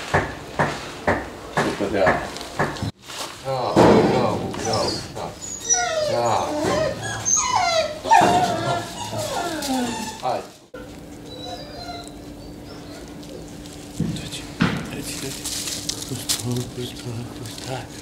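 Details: Akita Inu dog during its first training session with a trainer in 2020. A person talks at first, then a run of high, wavering whimpers with rising and falling pitch. A steady low hum follows, with a few faint yips.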